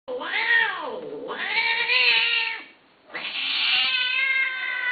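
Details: Domestic cat giving two long, loud, drawn-out meows with rich harmonics. Each call rises and then falls, and a short quiet gap separates them.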